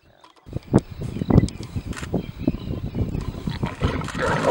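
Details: Wild lions of a pride in Timbavati at night, a newly arrived male mating with a female while clashing with other females over dominance; rough pulsed growls and snarls come in loud bursts over continuous low rumbling.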